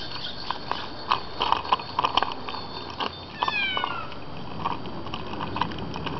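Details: Bengal cat riding in a stroller on a Christmas morning walk through suburbia, giving one brief, downward-sliding meow midway, surrounded by steady rattling and clicking from the moving stroller outdoors.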